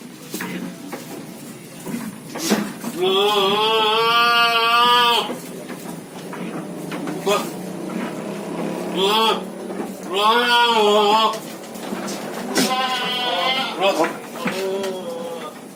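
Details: Long-eared goat calling to be fed, giving three long wavering bleats with strong harmonics, each about one to two seconds, spaced several seconds apart, over steady background hum and short noises.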